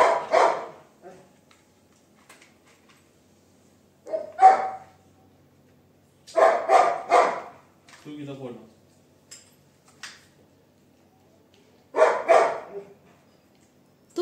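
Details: Labrador Retriever, a pet dog named Sophie, barking at home in bursts: single and doubled loud barks spaced a few seconds apart, with a low grumble between them and silence in the gaps.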